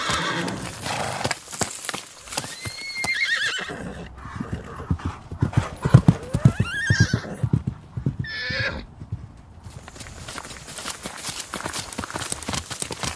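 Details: Icelandic horse neighing: a wavering, shaky high whinny early on and a second shorter quavering whinny midway, set against steady hoof clip-clop on hard ground through most of the recording, with a brief quiet gap.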